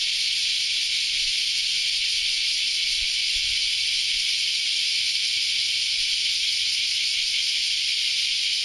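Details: Many cicadas buzz together in a dense, unbroken, high-pitched chorus early on a Saturday morning.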